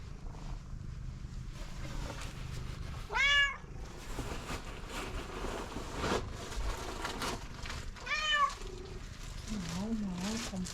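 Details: Stray street cat meowing insistently for food; two loud arching meows about five seconds apart, with a woman talking coaxingly, background music and low street noise.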